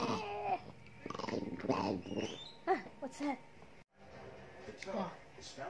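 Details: Teased pet dog answering its owner with a string of short, rising-and-falling yowls and grumbling moans, some cut off abruptly, separated by brief pauses.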